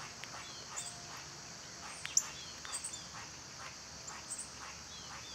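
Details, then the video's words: Steady high buzzing of cicadas in summer carries through, with scattered short bird chirps and whistles and one sharper click. "Cicada sounds"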